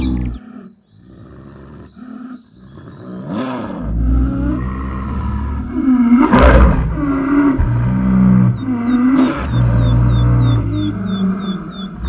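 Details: Wild snow leopard in high mountains: a few quiet grunts, then a long run of loud, deep, groaning calls with a strong harmonic tone, while a thin repeated bird chirp sounds in the background near the end.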